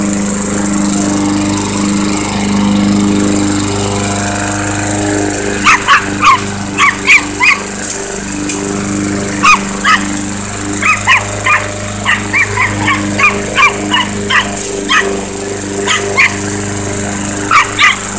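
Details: Chihuahua barking at a running lawnmower: short high yappy barks in scattered bursts, often paired, over the mower's steady droning engine hum throughout.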